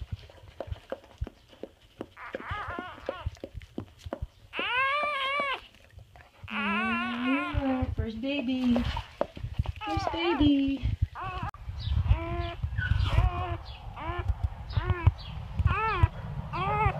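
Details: Newborn English Labrador puppies from Bubbles and Chubbers' litter of chocolate and black pups during the whelping. High, arching squeals and whines come in bursts, mixed with human speech, background music and low rumbling noise.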